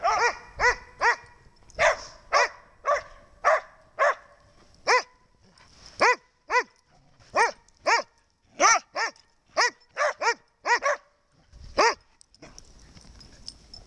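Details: Snow the dog barking again: a long run of sharp, arched barks with rich harmonics, roughly one or two each second, in clusters with brief pauses, ending in a soft rustle.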